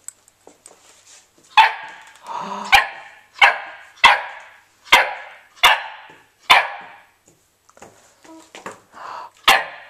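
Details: Old English Sheepdog puppy named Pandora, at mealtime before a meal of sloppy nuggets, gives a series of short, sharp barks and yips roughly every second, with a person telling her to sit between bursts.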